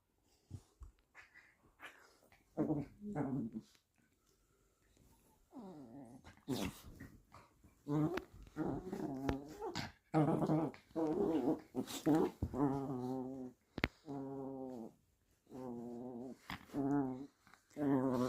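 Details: A small Chihuahua and Jack Russell cross dog growls while playing, making a run of wavering, moaning growls in bursts of one to two seconds with short pauses, some rising and falling in pitch, plus a few clicks and thumps.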